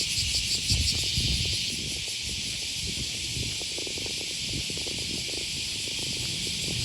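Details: Cicadas calling on an early August morning along the Okawa River near Sakuranomiya Park, Osaka, Japan: a dense, high hissing drone with a fast pulsing throb in the opening seconds, over low rumbles and footsteps.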